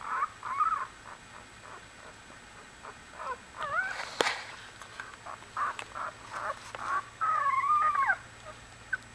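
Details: A litter of one-week-old Australian Bulldog puppies giving thin whining squeals that rise and fall. The short cries come in irregular bursts and end with a longer wavering whimper, with faint rustling between them.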